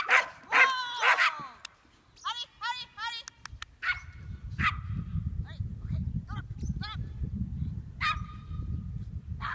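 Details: Papillon dog at disc frisbee practice on July 11, opening with loud excited high barks, then quieter scattered yips over a low rumbling background noise.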